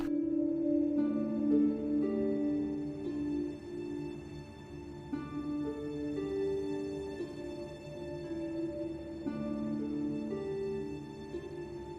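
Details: Calm new-age music plays throughout, built from sustained low tones and slow shifting chords. No animal voices can be picked out.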